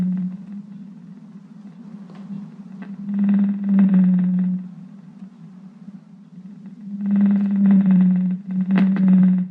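A blue whale's song comes as a deep, sustained hum, rising in loudness over a few seconds and then falling away before the next long unit. These loud, low songs carry across great distances to reach other blue whales.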